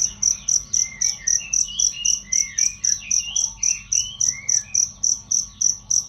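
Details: Cricket chirping, offered as a loud and clear training track for songbirds; shrill, evenly spaced pulses roughly four per second throughout, with faint whistled bird notes sliding underneath.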